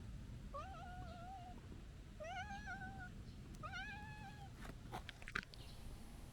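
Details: Stray calico cat looking up and appealing to be petted: three drawn-out, slightly rising then level meows about 1.5 seconds apart, with a few faint clicks and rustles afterward over low outdoor rumble.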